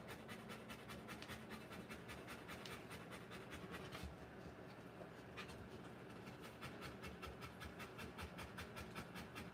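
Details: Rottweiler delivering a litter, with hurried breathy panting at about two and a half pants per second. A brief pause near four seconds breaks the rhythm before it resumes evenly.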